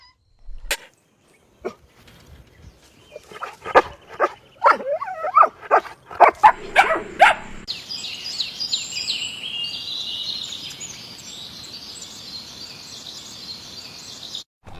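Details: Puppies drinking milk on a lush green meadow give a quick run of short, sharp yips and barks over about seven seconds, then fall quiet while a steady high hiss carries on in the background.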